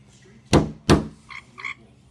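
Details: Frog on a windowpane answering two knocks near it with two brief, buzzy croaks about a third of a second apart, right after the taps, indoors with a low background hum.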